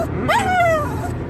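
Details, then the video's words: Dog arguing with its human at home: a single rising-then-falling whimpering yip, clear and harmonic, drawn out under a second, over a steady low background hum. "Funny Dogs Talking and Arguing With Their Humans"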